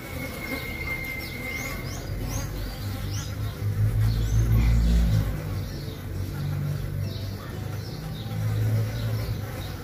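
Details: Mandaçaia bees of the Caatinga, drones mating with a queen that fell or was expelled from a hive box. A low, droning hum swells in waves, loudest midway and near the end, with faint high chirps above.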